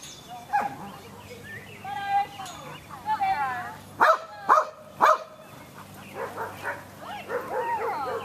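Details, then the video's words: Irish, a Samoyed with no prior sheep exposure, barks while herding at Keepstone Farm near Berryville, Virginia, June 2013; three loud rapid barks midway, framed by human voices and chatter. "Samoyed Herding Sheep: "Irish""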